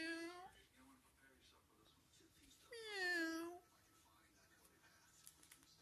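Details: Friendly, playful cat indoors giving two meows, a short one at the very start and a longer, bending one about three seconds in, over quiet room background.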